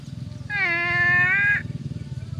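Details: Water buffalo grazing in a herd gives a single sustained 'uwwek' bawl of about one second, rich in even harmonics and holding a steady pitch before cutting off, over a pulsing low engine-like rumble.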